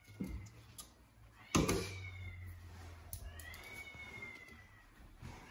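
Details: Norwegian Forest Cat beside her daughter at breakfast; two drawn-out meows, the second long and gently arching, with a knock or clatter and a low hum in a small indoor room.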